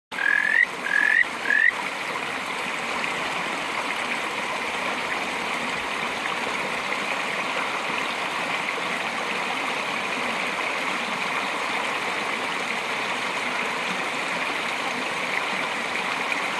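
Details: Kajika frog giving a warning call: three short rising chirps in quick succession within the first two seconds, followed by steady rushing stream noise for the rest of the recording.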